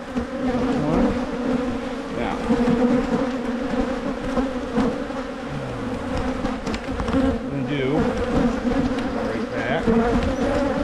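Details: Droning colony of honey bees during spring hive splitting in Michigan, done to prevent swarming; a continuous buzzy hum holding one low pitch, with a few brief murmured voice sounds.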